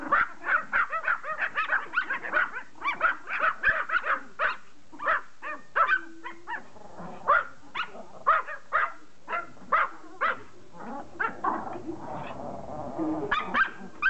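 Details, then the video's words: Pomeranian toy dog begging to play catch, barking in sharp, high yappy bursts, roughly one every second or two, irregularly spaced, with short pauses between runs; a brief low hum in the middle. "POMERANIAN begging to play CATCH"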